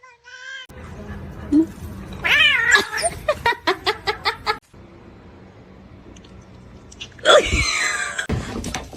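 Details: Indoor kittens giving short meows, one thin cry at the start and a louder rising-falling meow near the end, with human voices and rhythmic tapping sounds in between.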